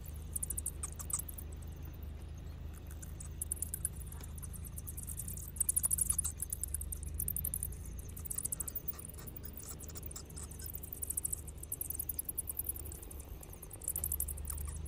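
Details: Bats emerging from a cave to go feeding fill the air with fast, thin, ticking squeaks in uneven bursts, loudest near six seconds, over a deep steady background rumble.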